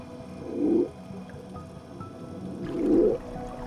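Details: A male Hawaiian monk seal floating in midwater near a volcanic-rock drop-off, heard at a distance by a diver, gives two low, rumbling underwater moans about two seconds apart.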